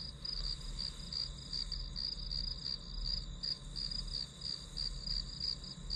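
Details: Grass insects chirping as white-noise backdrop for studying: steady high-pitched pulsed chirps, about three per second, running unbroken over a low background hum.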